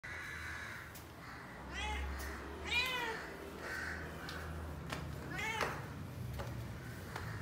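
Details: Black cat asking for food, giving several harmonic meows that rise and fall, around three clear calls spaced a few seconds apart over steady low background hum.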